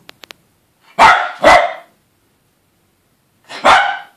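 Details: Yorkshire Terriers, a male and a female, where the female keeps harassing the male, indoors; three sharp broadband barks, two close together around one second in, then a single bark near 3.7 seconds, with faint clicks at the start.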